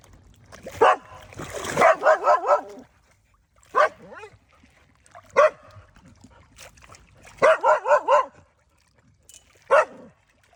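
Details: Domestic village dog barking to call fish to feed, scattered sharp yelps singly and in quick runs of three or four, with a noisy splash-like burst early and quiet gaps between.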